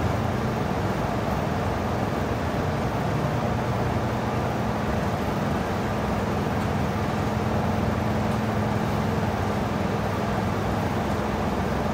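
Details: Steady broadband rumble like an engine or machinery running on a dairy farm on Christmas morning, with no clear animal calls.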